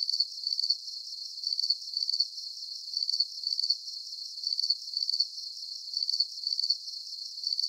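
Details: Cricket sounds for relaxation, shrill rapid pulsed chirps delivered in regular doubled bursts that recur about every one and a half seconds, a quiet steady hiss underneath and no other sounds.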